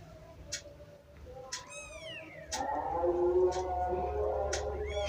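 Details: Mother cat attacking a ginger kitten, a drawn-out descending meow near two seconds, then a sustained growling caterwaul from about two and a half seconds on, with short sharp squeaks scattered throughout.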